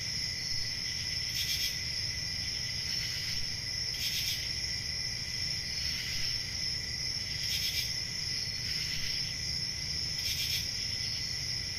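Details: Summer-night crickets in the countryside: a steady, piercing high trill with a lower sustained tone, punctuated by louder pulsed chirp bursts roughly every one and a half to two seconds, above quiet low background hum.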